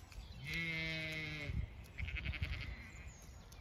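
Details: Zwartbles sheep from a flock on a regenerative farm in County Kilkenny, Ireland, giving one long, wavering, harmonic bleat of about a second, followed by shuffling and rustling sounds.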